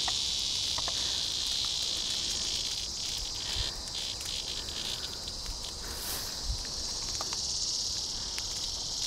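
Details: In a Kansas heat wave at Sand Hills State Park, a Tibicen dealbatus cicada seized by a praying mantis buzzes in distress: a strong, continuous shrill hiss with small rhythmic pulses and scattered clicks.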